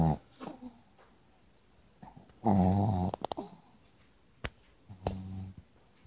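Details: Chihuahua asleep with its tongue out and eyes half open, snoring: a loud, low rumbling snore with a buzzy harmonic texture at about two and a half seconds, a shorter one near five seconds, and sharp clicks between, in a quiet room.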